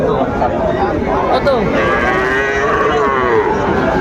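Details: Sahiwal breed bull calves being sold at a Mymensingh cattle market in Bangladesh on 30 May 2024; drawn-out wavering lowing over a dense background of crowd chatter and bargaining voices.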